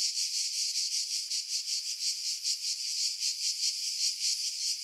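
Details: July 2018 cicada chorus from pines above Pefkos Bay on Skiros, Greece: harsh high buzzing throbbing in quick regular pulses, about two or three per second, with low wind noise removed by filtering.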